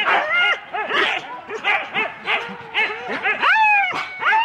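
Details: Husky sled teams, four dogs each, clamouring at the start in Rendlesham, January 2016. Repeated arched yelps and barks come from several dogs, ending in a drawn-out rising whine.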